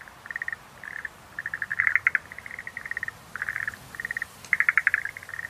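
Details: Rhacophorus schlegelii chorus: Schlegel's green tree frogs producing fast, chattering pulse trains in bursts under a second long, separated by brief pauses, several voices overlapping.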